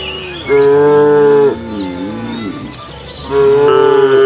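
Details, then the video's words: A cow on a road where cattle roam looking for food gives two long, loud, level moos, each about a second long, with a brief softer low between them. "Funny cow sounds"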